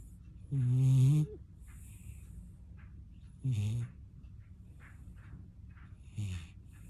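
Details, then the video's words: Puppy that snores as its specialty, asleep: three low, rumbling snores, the first long and loud, the next two shorter and fading, about three seconds apart. "코골이가 특기인 강아지"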